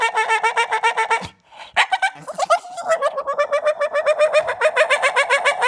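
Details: Mowgli, a male Staffordshire Bull Terrier who loves toys and sticks, gives a fast run of whiny, yodelling yips, insisting he wants to play, with laughter around.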